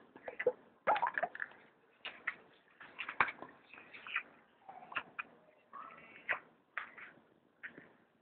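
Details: Striped hyena cub kept as a pet, calling at feeding time: short whines and squeaks come in uneven bursts, some with a drawn-out tonal whimper, mixed with wet sloshing and lapping sounds.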